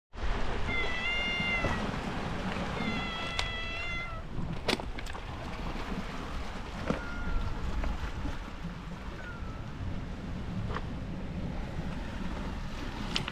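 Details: Stray cat in a seaside area claimed as stray cats' territory, giving a few drawn-out harmonic meows early on, followed by a steady low rumble of wind and surf with occasional knocks.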